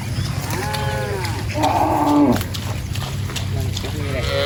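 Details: Cows roaming and grazing in a rice field; two harmonic, arching moos, the second louder and longer around the middle, with a fainter call near the end over steady low field rumble.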